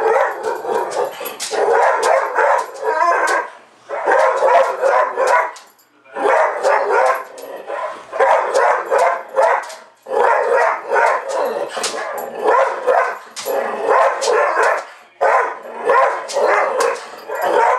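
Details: Tucker, a pet dog, barking at a playback of his own barking at a dog show on TV; bursts of rapid barks in clusters separated by short pauses, with the TV barking mixed in.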